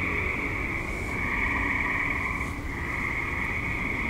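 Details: Active tree frogs in a suburb at dusk and night, a dense, unbroken chorus of high trilling calls holding two steady pitch bands, with a low continuous rumble underneath.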